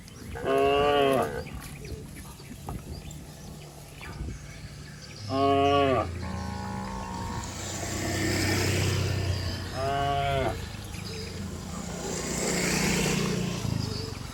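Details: A herd of cattle bounding down a green rural hillside; several loud, stacked-harmonic moos with a few seconds between them, some overlapping, against a rumbling, breathy background.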